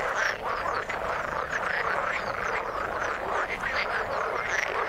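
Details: Many frogs calling from the water at once, fast overlapping croaks and clicking trills forming a thick steady wall of sound, occasional sharper high notes popping out.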